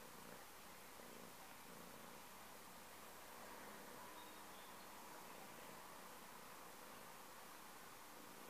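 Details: A domestic cat purring, a soft, continuous low rumble with a fine, rapid pulsing texture held steadily throughout, quiet and close, with a faint hiss of room noise and no other clear sounds.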